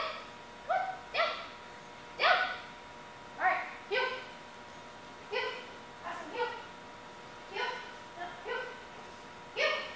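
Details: Aspen, a one-year-old German Shepherd in a dog training program, barks in short harmonic bursts, roughly one per second with uneven spacing, some as quick doubled barks, over a quiet background.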